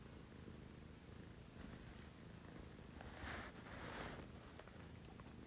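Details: Pet cat purring indoors around 6 a.m., from a pair of female cats, a Scottish Fold and a Munchkin; a low steady rumble continues under soft rustling and brief bursts of breathy noise near the middle.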